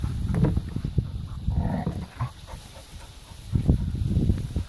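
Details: Labrador retriever puppies playing in a garden: low, throaty growls and grunting barks in quick bursts, easing off midway, then rising again toward the end.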